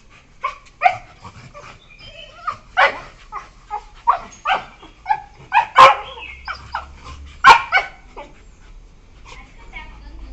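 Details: Two playful beagles, 1 year 4 months old, recorded 12 September 2021 while playing with each other: a run of short, sharp yelps and yips, irregularly spaced, some louder squeals standing out.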